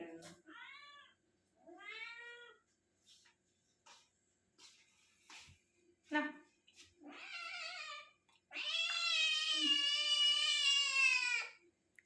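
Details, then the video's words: A pet dog "talks" indoors: several short wavering whines, then a long, loud, warbling harmonic moan lasting nearly three seconds at the end, with faint human voices earlier. "Pet Dog നല്ല അടിപൊളിയായി സംസാരിക്കുന്നത് കേട്ടോ.. ആവശ്യമാണെങ്കിൽ ഇവന്മാർ സംസാരിക്കും"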